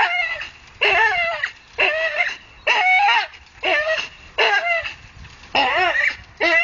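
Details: Staffordshire bull terrier hanging from a tree makes repeated high, whiny straining cries with quivering pitch, short bursts coming a little faster than once a second, no other clear sounds.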